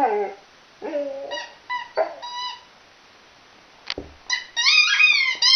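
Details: Millie, a chocolate Labrador, plays with a squeaky toy. Short broken howls mix with sharp, high squeaks, separated by quiet gaps, and end in a louder wavering wail.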